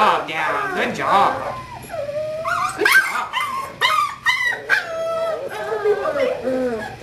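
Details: Kahlua, a female English Springer Spaniel pup aged 5 weeks from Star's fourth litter, lets out a long rising howl followed by choppy whines and yelps, with a person talking and praising her throughout.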